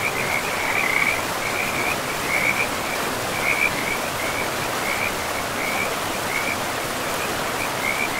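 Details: Frogs calling beside a river deep in a pristine forest with moss-covered ground; short trilled pulses around a steady pitch repeat every half second or so over a continuous rush of flowing water.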